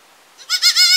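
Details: A young village goat begins a bleat that rises and wavers in loudness, cut off mid-call.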